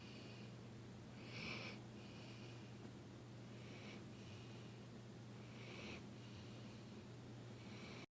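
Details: Dilly the dog asleep and snoring: a strong snort near the start, then softer wheezy breaths every two seconds or so, with a low steady hum throughout.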